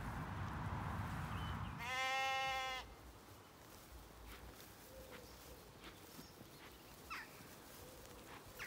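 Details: Zwartbles sheep flock of black lambs and hoggets at evening on a farm in County Kilkenny, Ireland; a single loud, rich bleat lasting nearly a second, followed by quieter background murmurs and faint bird chirps over field noise.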